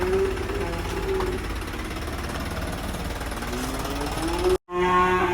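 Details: Black sacrificial bull coming down off a truck at a village pen gives long, low moos that rise and swell toward the end, with a heavy mechanical thumping and vehicle noise underneath and a brief dropout.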